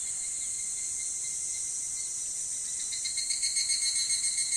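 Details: Evening cicada singing before dawn in summer: a dense, steady high shrill that gains a fast pulsing rhythm in the final seconds, with no other clear sounds.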